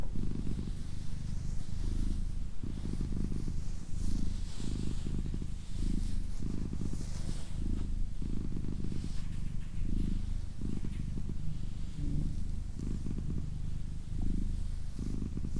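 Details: Doroti, a pet female cat, purring steadily indoors: a low, rumbling purr that swells and fades in rhythmic pulses about once a second, with soft breathy whispering drifting over it.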